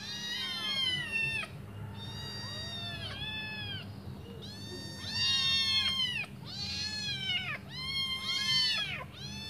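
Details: Five kittens waiting hungrily for their mum to come back and feed them cry in overlapping waves of high, bowed meows, some rising then dropping, with short gaps and a low background hum.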